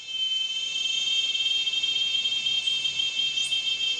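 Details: Cicada chorus: a steady, unbroken high metallic buzz with layered shrill tones that holds at an even loudness throughout, with a brief faint higher chirp near the end.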